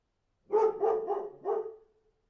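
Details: A dog gives about four quick barks in a row, the last trailing into a short steady tone.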